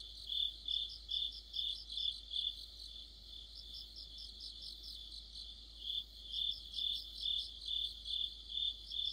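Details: Crickets and other insects singing in an autumn chorus near a streetlight, a steady high shrill trill pulsing about twice a second, with several overlapping callers forming a dense layered ring.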